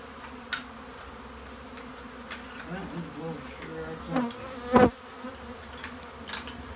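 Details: A continuous low drone of many honey bees fills a bee shed. Soft murmured voices sit in the middle, and a sharp knock comes near the end.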